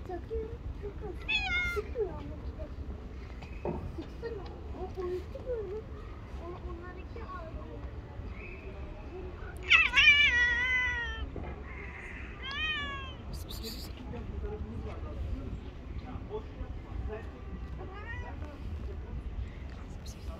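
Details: A street cat meowing: several rising-falling harmonic meows, the loudest near the middle, with human speech and steady low background noise.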